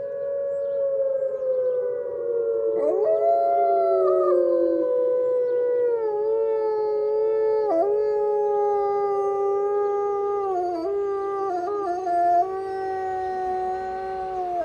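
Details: Wolf giving a long chatty howl on a Monday morning after snow, a smooth tone sliding slowly downward, then rising and holding with small breaks, pitch jumps and wavering inflections, harmonics stacked clearly above.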